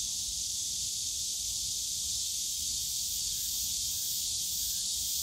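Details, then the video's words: Cicadas in summer at Yongsan Family Park's bamboo grove produce a loud, continuous sizzling buzz, steady from start to finish, with only a faint low rumble beneath. "용산가족공원 대나무숲 매미소리"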